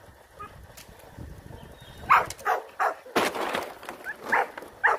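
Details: Rottweiler puppies during guard-work training; short, punchy barks begin after two quiet seconds and repeat at uneven intervals, some with a higher yelping edge, over faint background noise.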